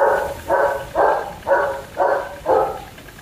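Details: German Shepherd puppies at Zondiram Kennel barking: six short, harmonic-rich barks in a steady run, one roughly every half second, each rising quickly and fading, with a faint hiss beneath and no other clear sounds.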